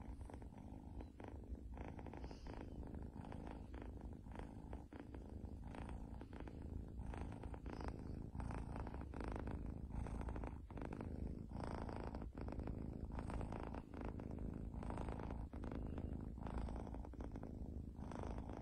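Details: Domestic cat purring, a continuous low rumbling throb lasting throughout, steady and even in loudness with faint higher crackles above.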